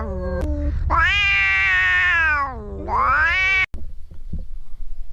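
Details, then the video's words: Cat meowing to attract other cats: long drawn-out wailing meow holding steady, then a second rising, whining meow, with low rumbling background noise and a sharp click. "Cats and Kittens Meowing"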